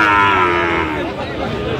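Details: Sahiwal bull calves for sale at the Aftabganj cattle market in Dinajpur on 30 September, one lowing with a drawn-out moo that slowly falls in pitch, while traders bargain in the background.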